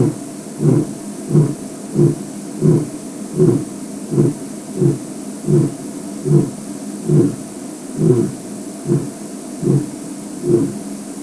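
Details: A male lion in a leafy bush gives a steady series of deep, throaty grunts about every three-quarters of a second, rubbing his face on a tree and signalling to his pride and other lions in the area; the sound is very directional; 5 September 2007.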